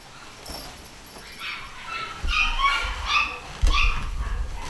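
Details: Young pedigree Scottish Terriers from a fresh litter start with quiet whines that build into louder, wavering high-pitched whimpers and yelps in the second half, with thumps of movement below.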